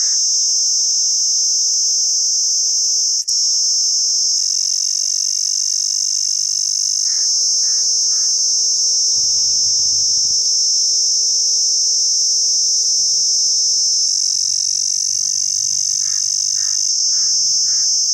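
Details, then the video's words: Pakistani cicada calling with a constant piercing buzz for the full length, unbroken and level. Short groups of three rounded lower notes from another animal appear twice, and one brief broadband rustle sounds midway. "cicada new sound video/beautiful cicada in pakistan"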